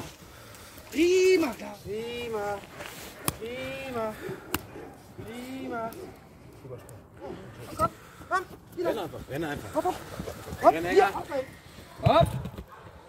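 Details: Clara, an eight-month-old working Presa Canario security dog puppy, barks steadily, about one deep arched bark per second, then the barks grow rougher and irregular, mixed with talking and outdoor noise.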